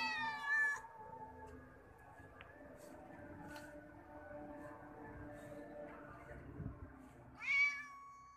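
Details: Kitten giving two loud, harmonic meows, one at the start and one near the end, each rising then falling, with a quiet stretch of steady hum and faint clicks between them.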